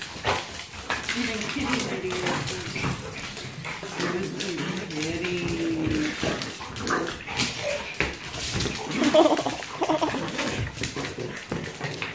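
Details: Indoor play-fight among Braun the Yorkie, Dyna the Black Lab and Molina the French Bulldog, two dogs against one; low wavering growls and huffs, a short whine near the end, scrabbling paws and a person talking over the noise.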